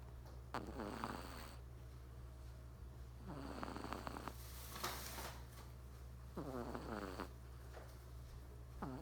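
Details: Dozing three-month-old Persian kitten, male, snores in four raspy, quavering breaths about every two and a half to three seconds, with a faint low hum throughout.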